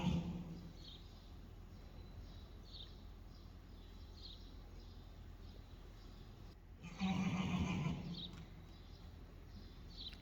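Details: Friesian mare Reintje and 2-day-old foal Teije Rein in the arena for the first time, first careful then freer; after a quiet stretch comes one low, quavering nicker of about a second, over steady hall noise.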